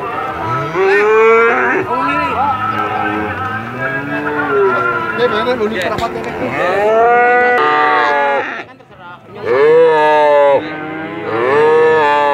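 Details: Cattle producing very long moos, a string of overlapping, rising and falling calls from more than one animal, with a brief lull near the end before loud moos resume.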